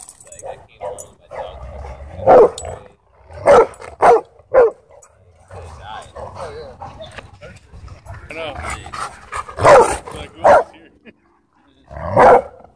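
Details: Dogs showing aggression at a dog park: sharp, loud barks in short bursts, several close together early on, then more a few seconds later, with people talking between them.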